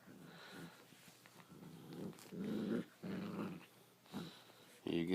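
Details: An English Springer Spaniel puppy playing tug, giving low rumbling growls in bursts of about half a second while a person talks and encourages it, with a sharper higher yelp or voice at the very end.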